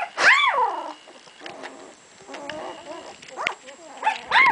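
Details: Puppies two weeks old squealing and whining, with a loud high arched cry at the start, softer whimpers in the middle and another sharp squeal at the end.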